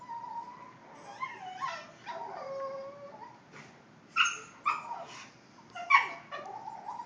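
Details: A Boston Terrier making funny noises: a string of high, wavering whines and whimpers, some sliding downward, with several sharper yelping squeaks in the second half.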